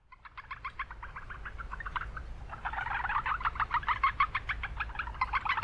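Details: Japanese brown frogs calling in a noisy wetland in town: rapid pulsed notes, sparse for the first two seconds, then a denser overlapping run of quick clicks. Low rumbling background noise throughout.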